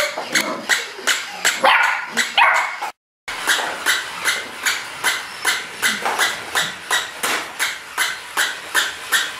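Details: Springer Spaniel pup giving a steady run of sharp, high yapping barks a little more than one per second, fairly evenly paced, broken by a short silent cut.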